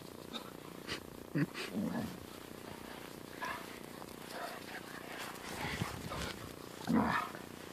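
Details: An angry Siberian Husky grumbles while a German Shepherd puppy plays with it. Short throaty growls and grumbles come in bursts, the loudest near the end. A person talks over the sounds.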